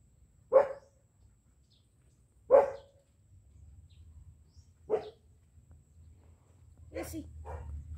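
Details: Two-month-old jet black Belgian Malinois puppy barking during training: three sharp single barks about two seconds apart, then a fainter double bark near the end, with low room rumble between.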